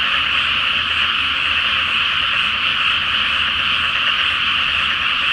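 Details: Frogs in a large night chorus in a flooded rice field before planting, under a full moon; dense, continuous trilling croaks merge into a steady wall of sound with no pauses, faint low rumble beneath.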